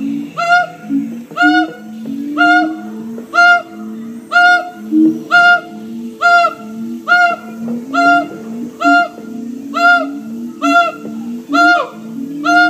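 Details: Siamangs at Columbus Zoo sing loud, ringing barks repeated about once a second over lower wavering hoots.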